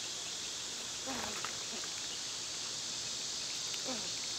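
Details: Cicadas singing in summer, a steady high, hissing drone that fills the upper range without a break, while a few short sliding bird chirps cut through near the middle and end.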